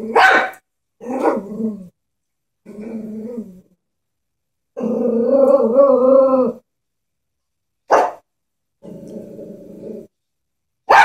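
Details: Fearful Chihuahua facing a stuffed toy horse alternates short, sharp yaps with low, drawn-out growls, including one steady growl of nearly two seconds, with pauses between bursts.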